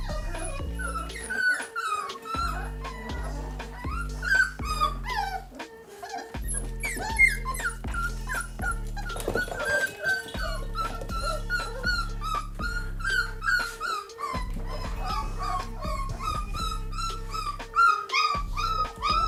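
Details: Hungry American Bully puppies about three weeks old whine in high, wavering, overlapping cries over steady background music as puppy mush is brought to them.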